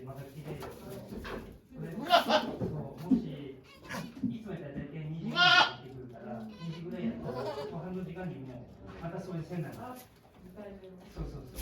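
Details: Domestic goat Okayu at Yoshigake Farm in Japan on 3 May 2023, during her delivery of two kids while many volunteers watch. Short wavering bleats, two louder ones, rise over near-constant people talking softly indoors.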